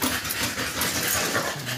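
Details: American Bully puppies aged two months, after their second 5-in-1 vaccination, panting in fast, breathy huffs with a faint whimpering edge, steady and close, with a low hum underneath.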